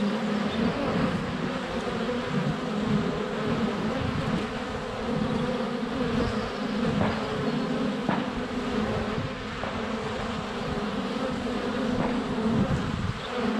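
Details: Continuous buzzing of many honey bees flying around a hive entrance in February sunshine, recorded less than a foot away on a GoPro; a thick low hum wavers constantly, broken by brief ticks as bees bump the camera.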